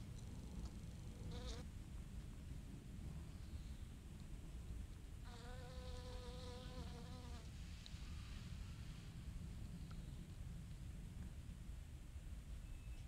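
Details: Honeybee visiting pale pink Origanum vulgare blossoms for nectar. A brief hum comes near the second mark, then a sustained, even buzz lasts about two seconds midway. A low rumbling background persists throughout.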